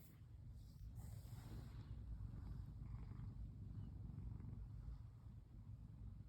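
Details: Female brown tabby domestic cat purring while being stroked and curled up relaxed; a low, steady rumbling purr runs throughout with a faint rustle early on.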